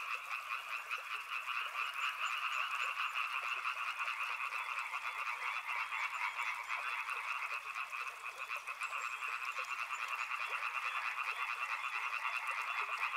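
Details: Continuous frog chorus of many overlapping croaking callers, a layered rattling drone in two bands that pulses quickly and unevenly throughout.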